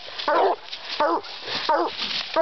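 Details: Redbone Coonhound barking during a raccoon hunt on a farm on 14 June 2012, run alongside a Walker hound. Four short, hoarse barks come roughly every 0.7 seconds while a man's voice urges the dog on.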